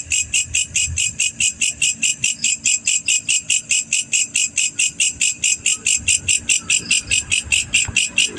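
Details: Black cricket, a male, giving a continuous run of shrill pulsed chirps at a regular pace of roughly four a second, with soft low background noise.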